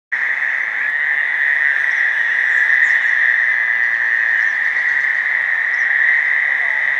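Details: At 9 PM on 5 June 2015 in the North Burial Ground, Providence, Rhode Island, about ten Fowler's toads make a steady, nasal buzzing drone that never lets up. A single gray tree frog adds a little trill.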